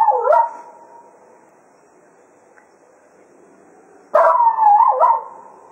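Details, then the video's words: At Quail Roost after a day of foxhunting, Cato the Jack Russell Terrier serenades the departing hounds with two short, bending howls about four seconds apart, quiet pauses in between. "Cato Serenading the Hounds after a Day of Hunting at Quail Roost"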